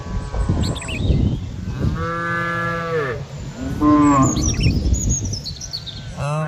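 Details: Several cows mooing in overlapping calls, long harmonic moos that hold steady then drop in pitch, with low rumbling background and faint bird chirps high above.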